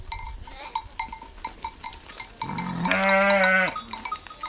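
A sheep gives a single wavering, nasal bleat after a run of faint tinkling, bell-like notes.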